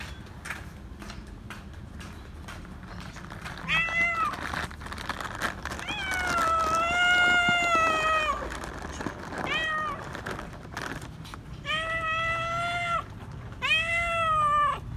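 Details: Stray male cat meowing loudly while demanding to be petted: a series of long harmonic meows, some drawn out over two seconds, rising then falling, with quieter shorter calls between them, over faint background noise and occasional clicks.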